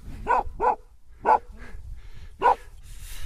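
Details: Gaddi dog, the Himalayan breed, at Annapurna Mountain, Nepal, while playing; four sharp barks, two in quick succession, then two more spaced apart, over faint outdoor background noise.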